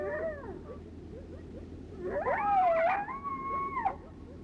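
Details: Several coyotes howling together, each giving lone howls, a group howl believed to mean the same as a lone howl; wavering howls rise and fall, with overlapping voices holding a long steady note near the end over low hum.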